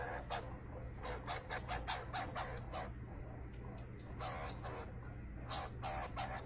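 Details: Young skunk chattering while a person coaxes it to eat: rapid, regularly repeated short scratchy chirps, several per second in bursts, with brief pauses and a low background hum.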